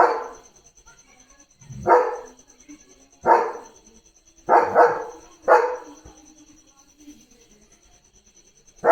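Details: German Shepherd Leo, a pet dog, barking loudly at cattle passing the gate: loud, harsh barks in irregular bursts, some doubled, roughly every one to two seconds, over a steady high-pitched electrical whine.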